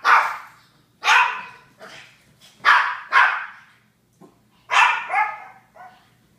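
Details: Japanese Chins barking in short sharp bursts, some barks doubled, with brief pauses between, about seven loud barks plus a few softer ones, quiet low hum in the background.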